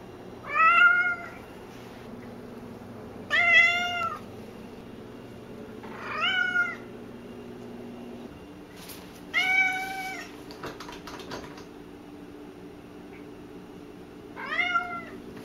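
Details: Cassidy, a very talkative pet cat, meowing loudly indoors: five drawn-out, harmonic meows spaced a few seconds apart, each slightly arched in pitch, over a low steady room hum.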